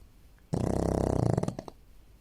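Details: A pug sleeping on a shared bed gives one long, rattling snore, a low buzzy vibration on the in-breath, like a small child snoring.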